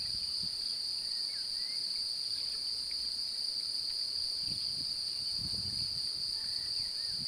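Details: Continuous shrill trilling of a male cricket seeking to mate while a female seems interested, produced by rubbing its forewings together; the tone holds perfectly even throughout, with a few faint distant bird notes.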